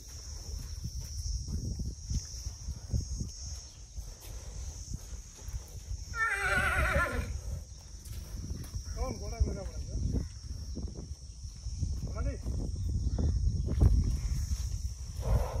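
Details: Horses at a stud farm in India give a quavering, wavering whinny midway through, then a shorter shaky second whinny a few seconds later, over steady low rumbling background noise and voices talking.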